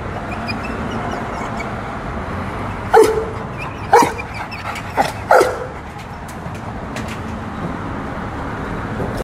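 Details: One-year-old XL pitbull barking in four short, separate bursts roughly a second apart, over steady background noise with faint clicks.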